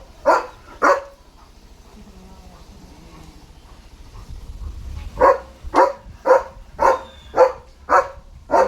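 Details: German Shepherd named Leo, a pet dog, on his deworming day: two sharp barks, a pause of about four seconds, then a run of six barks spaced roughly half a second apart, with faint background rumble.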